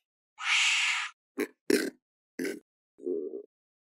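A wombat gives a breathy hiss, then a few short, rough grunts and a low huff.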